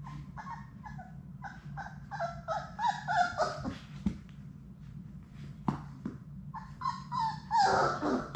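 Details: Six Labrador Retriever puppies in an indoor puppy play room, playing together: repeated short harmonic whimpers and yips with puppy growls, rapid and uneven, against a steady low room hum and occasional scuffling thumps.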